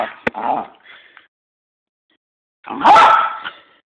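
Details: Frustrated Miniature Poodle struggling to eat a treat gives a whiny grumbling yip, falls silent over a second, then lets out one loud, rough bark with a brief tail.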